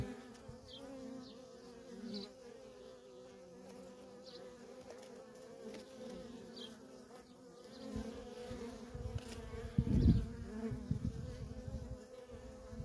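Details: Busy worker honey bees coming and going at a feral colony: an even, droning wingbeat hum, with a louder low rumble swelling around two-thirds of the way in and a few faint high chirps early on.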